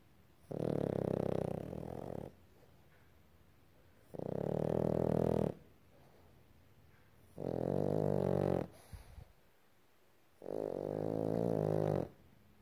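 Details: Boston terrier puppy sleeping indoors and snoring loudly: four long, rough, droning breaths of about one and a half seconds each, coming roughly every three seconds with quiet gaps between.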